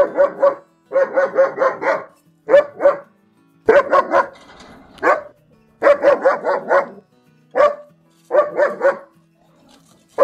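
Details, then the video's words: German Shepherd barking in uneven bursts: a single bark, then runs of three to five quick barks, separated by short silences. "O SOM DO PASTOR ALEMÃO"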